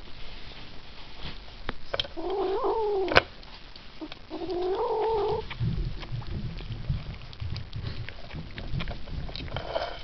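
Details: A Ragdoll kitten that doesn't like to share gives two wavering, growly mews while eating, each about a second long.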